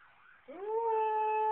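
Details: Siberian Husky answering local emergency sirens with a howl that swoops upward and then holds a steady clear tone, preceded by a softer wavering sound.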